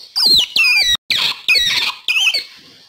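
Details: Otter call offered as a lure for wild otters: four loud, squealing whistles, each sliding sharply downward from high to mid pitch with a raspy edge, spaced about half a second apart.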